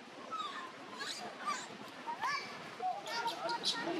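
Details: Tiny newborn monkey Luno, living around a temple in Cambodia, cries to call its mother: a run of short, tonal, rising-and-falling whimpers, some wavering, repeated irregularly over background chatter and hiss.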